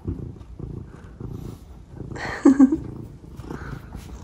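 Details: Pet cats Omusubi and Ace, affectionate and chatty in the morning: a steady low purr pulsing about twice a second, broken near the middle by one short, bright, rising meow, then the rhythmic purring resumes.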